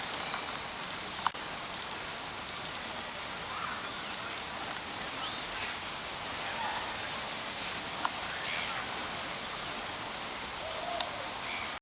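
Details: A cricket at Jelly Park, Christchurch, New Zealand, in February 2010 trills steadily, a high, shrill, unbroken buzz.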